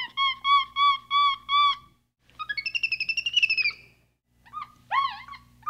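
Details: Capuchin monkey giving a row of five steady whistled notes, then a fast pulsing trill that climbs slightly, and finally a few sharp rising chirps, over a low steady hum.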